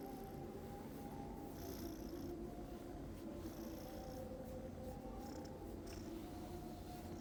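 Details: Pet cat snoring in its sleep, a continuous low rough rumble with breathy hisses returning roughly every one and a half seconds, otherwise quiet room.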